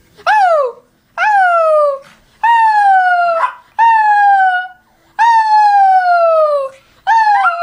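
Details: Pet dog making an annoying whining howl: six long, tonal, falling whine-howls, each about a second long, starting high and sliding down, separated by short pauses.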